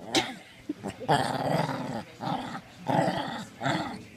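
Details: Two Shih Tzus wrestling in play give deep, rough growls in bursts of about half a second to a second, with short pauses between, plus a few yips; a person speaks faintly.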